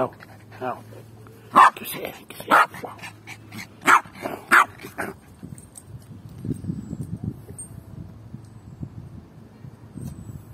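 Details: Yorkshire terrier, a pet dog rolling about and playing with a ball while tired, gives four sharp, loud barks spaced about a second apart in the first five seconds, then quieter rustling and soft panting, with a person speaking gently.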